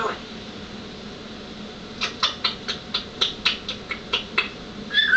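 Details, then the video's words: Taipa the cat chattering: a quick run of about ten short, dry clicking bursts spread over two and a half seconds, ending with a brief higher squeak, over a steady indoor hiss. "Taipa chattin"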